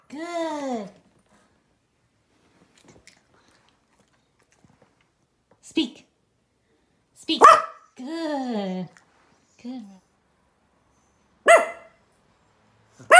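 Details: Yorkshire Terrier alternating drawn-out, arching whine-howls with abrupt sharp barks and short yelps, each sound separated by a few seconds of silence.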